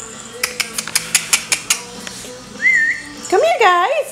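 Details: Pembroke Welsh Corgi puppies, a litter with the males identified by their collars, whine in high, wavering tones after a run of sharp tapping sounds; the whining comes from the female puppies in the background.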